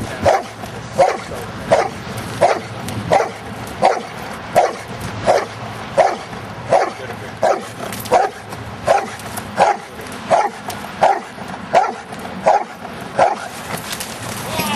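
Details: Rhythmic barking from a giant schnauzer named Luther playing in the rain and mud: around twenty short, mid-pitched woofs at a regular pace of about one every 0.7 seconds, over continuous wet background noise.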